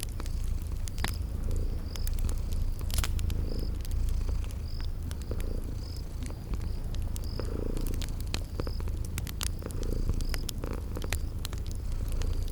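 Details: Sleeping kitties purring by a crackling fireplace in a spring garden ambience: a steady low rumble rising and falling with each breath, with sharp fire crackles and a short high chirp repeating about every second.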